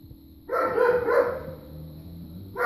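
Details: A neighbor's dog barks on the afternoon of November 23rd: one drawn-out, harsh bark with a ragged tail, then the start of another, over a faint steady hum.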